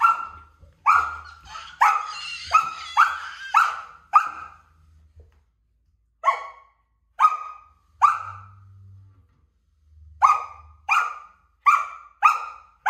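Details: A Samoyed puppy barks at a stool being moved by a toddler, giving bright, high, short yappy barks in quick runs with brief pauses, over a faint low household rumble.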